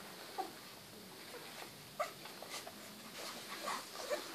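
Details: Rottweiler puppies of a large size indoors, giving brief high thin whimpers at irregular intervals, about four short squeaks over a few seconds, amid soft pattering, shuffling and scratching noises.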